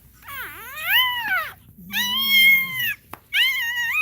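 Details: Cane Corso crying during a labour: three loud, tonal whining cries in quick succession, the first dipping then rising, the next two long and arched, each with a stack of bright overtones, in a quiet room.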